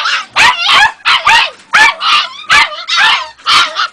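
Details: A young Jagdterrier, Ega, at two and a half months, lets out about eight separate squeaky, strained yelps. Each is short and harsh, with uneven spacing of roughly half a second.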